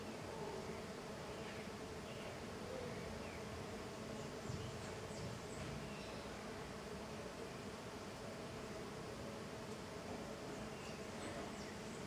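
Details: Many jatai stingless bees (Tetragonisca angustula), small and golden, busy in intense activity outside the hive, make an unbroken swarm-like buzzing drone with faint higher whirring passes of individual bees flying by.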